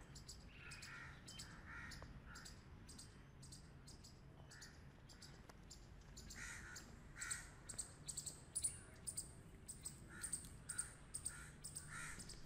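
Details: Grey squirrels playing together give raspy, buzzing bursts in irregular runs. They come sparse at first, then crowd together after six seconds with sharp clicky accents, over a steady low rumble.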